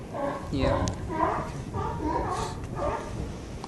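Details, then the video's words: California sea lions near a harbour pier, 18 November 2011, bark repeatedly in rough, nasal bursts about every half second, with a brief clatter and outdoor background noise. "أسود البحر قرب رصيف الميناء"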